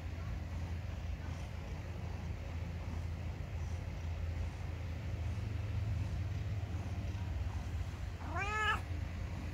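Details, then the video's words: Ginger pet cat indoors: a long stretch of low droning hum, then one short arching meow near the end, rising and falling quickly. "Just a ginger cat meowing, maybe complaining??"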